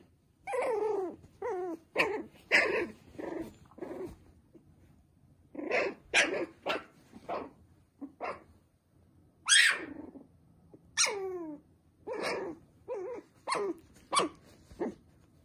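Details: Poodle and bichon puppies yapping indoors in quick, high, sharp barks and yips, about twenty in fifteen seconds, in bursts with short pauses, some yips sliding downward.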